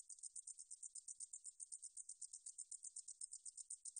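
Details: Meadow katydid recorded by the National Institute of Biological Resources, Korea, 2020, producing a fast, very high, raspy pulsing buzz of about eight pulses per second, clear and uninterrupted.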